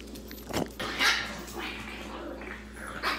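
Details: Female Boston Terrier puppies Panda, Koala and Grizzly, 9 to 12 weeks old, playing at home; a short rough puppy bark and growl bursts with noisy, gravelly texture, followed by softer grumbling and a woman's voice.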